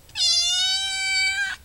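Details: Domestic cat meowing while waiting to be fed, its owner asking whether it is hungry. One long, loud, steady meow of about one and a half seconds, rich in even harmonics, holding a flat pitch before a slight drop at the end.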